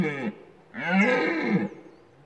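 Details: A red deer stag roars in the rut in the Lądek Zdrój forest district, Poland: a short hoarse grunt followed by a longer, rich, groaning bellow of about one second, then silence.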